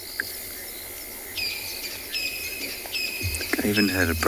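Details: At sunset on a safari drive, 8 October 2020, crickets trill in a steady high-pitched drone with pulsed chirping as frogs begin calling, and a voice near the end.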